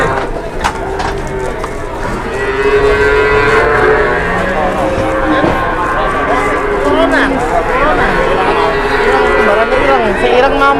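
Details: Indonesian cattle gathered at a weighing scale, a short but very fat big cow among them: many overlapping drawn-out moos with wavering pitch sound almost continuously over steady crowd and yard noise, with sharp clicks and knocks.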